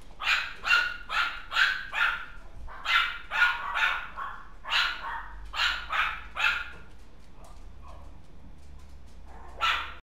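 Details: Puppy recorded on January 28, giving rapid sharp yapping barks in quick bursts, about two or three per second, pausing briefly near the end before one last bark, over a low background hum.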